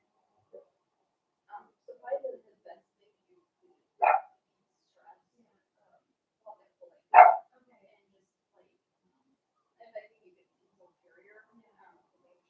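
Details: Blenheim Cavalier King Charles Spaniel puppies from a litter of five born at New Year, indoors in their puppy pen on Theo's pick-up day: two sharp, short barks about three seconds apart, with faint scattered voices and small sounds between.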